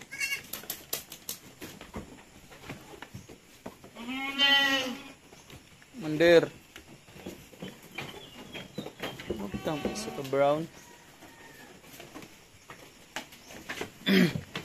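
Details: Weaning goat kids on a farm in San Carlos City, Philippines call out in several loud, quavering bleats spaced a few seconds apart, mixed with clicks, rustling and bits of human speech.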